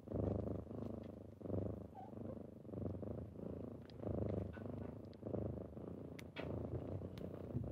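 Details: Kittens purring loudly at wake-up time in the morning, a buzzing low rumble pulsing in regular breath cycles, with light scratches and a faint squeak in the background.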